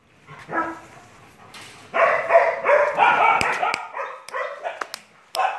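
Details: A three-month-old German Shepherd puppy gives a short whimper, then a run of quick, uneven yips and barks.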